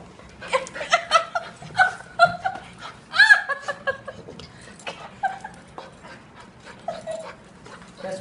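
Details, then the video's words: Four-month-old Golden Retriever puppy greeting its owner after four days apart, high excited whines and yelps mixed with panting, overlapping with people talking and laughing. "Four month old Golden retriever meets owner after 4 days"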